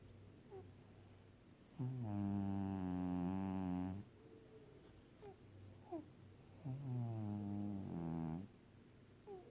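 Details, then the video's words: A five-year-old pet cat sleeping and snoring on its owner's stomach; two long, buzzy, low droning snores of about two seconds each, separated by quieter breathing and faint soft clicks. "Snoring cat / gato roncando"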